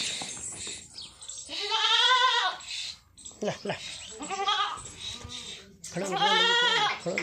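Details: Jamunapari goat, described as a pure breed, bleating in drawn-out, wavering cries, three of them across several seconds. A person keeps up a steady stream of coaxing speech in Chinese around and over the calls.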